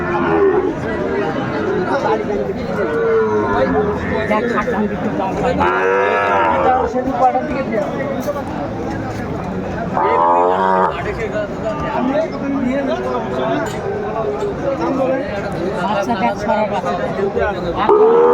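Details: Sahiwal bulls and calves at the start of trading at Aftabganj cattle market, Dinajpur, Bangladesh, 1 February 2025. Three loud drawn-out moos come at about six, ten and eighteen seconds over steady crowd chatter and market din.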